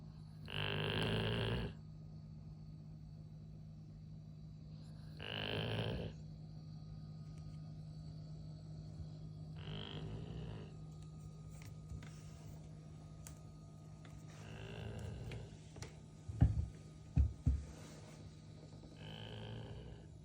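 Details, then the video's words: Golden retriever napping, snoring in rough breaths about every four to five seconds, each a short broad rasping burst with low rumble beneath, quiet pauses between, a few sharp knocks near the end. "When Your Dog Snores Louder Than You!"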